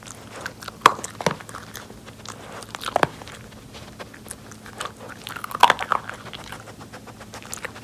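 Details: Indoor nosework treat session for Pori, a rescued Jack Russell Terrier. Crisp kibble crunches and soft chewing arrive in scattered clusters, with two loud snapping bites spaced a few seconds apart, against a faint steady room hum.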